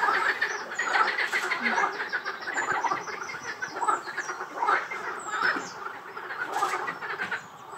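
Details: Frog chorus at Rainham Marshes: many overlapping croaking and rattling calls, dense and pulsing, rising and falling in loudness throughout, with occasional high squeaks mixed in.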